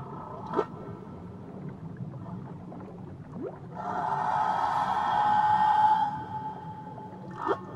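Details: Tahiti whale song: a quick rising whoop, a softer upsweep, then a long swelling tonal wail held for two seconds, and another rising whoop at the end, all over soft underwater rumble.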